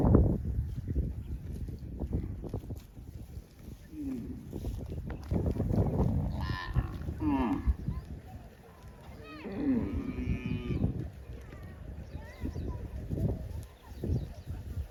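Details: Cows driven by cowherds toward the farm across wide green rice fields; several lowing moos with harmonic bands, near four and at six to seven and nine to eleven seconds, over trampling, rustling and faint voices.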